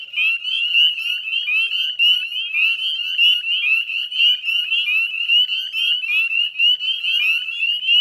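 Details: Spring chorus of northern spring peepers at dusk, Chezzetcook salt marsh, Nova Scotia, Canada, May 2020: crowded, shrill high peeping with quick rising notes pulsing over a steady ringing band of frog voices.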